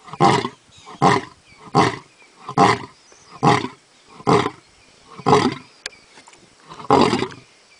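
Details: A lion gives a series of deep, throaty grunting roars, each burst coming just under a second apart.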